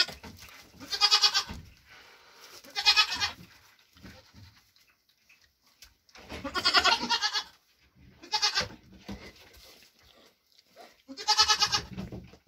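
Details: A mother Nigerian Dwarf goat with triplets born June 18th 2023 gives loud, quavering, nasal bleats about a second long, with pauses between, while getting her grain ration after hoof trimming.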